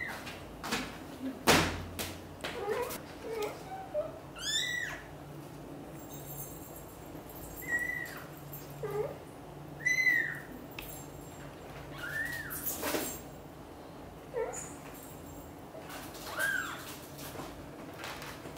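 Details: Family of British Shorthair cats, kitten Piano wanting out of the nest and mother Xaxa persuading him to stay and play: a run of high, bending meows, about six, spaced irregularly, with rustling and a knock early on.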